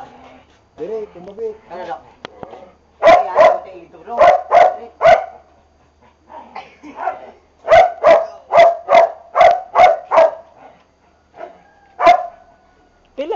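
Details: Boxer dogs during a training session bark in rapid, evenly spaced series, two bursts of about six barks each, with a man's spoken commands between and over them.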